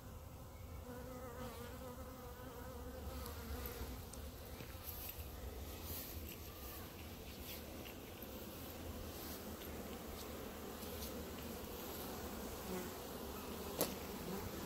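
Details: Honey bees gathered in a clump in front of the hives, a continuous swarming buzz with wavering mid tones and occasional faint clicks and rustles.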